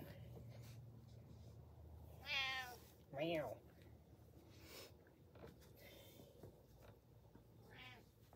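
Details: Domestic cat meowing because it wants to be watched while it eats; three clear, drawn-out meows, the first two close together and the third several seconds later, with a person speaking nearby.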